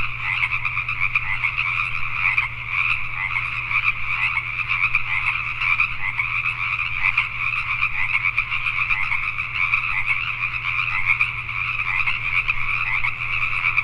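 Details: Night chorus of Pacific tree frogs in Richmond, British Columbia, Canada. Countless frogs croak at once in a continuous rattling wall of sound, pulsing slightly in loudness, over a constant low droning hum.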